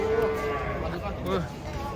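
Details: Giant cattle being unloaded from a swaying truck. A brief, low, steady moo is heard amid noisy handling sounds and people talking.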